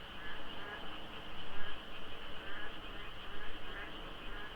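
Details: Before dawn in the rainy season, frogs fill the darkness at Deokso IC on the expressway, under light fog and sparse traffic. Loud, throbbing waves of croaking rise and fall every fraction of a second.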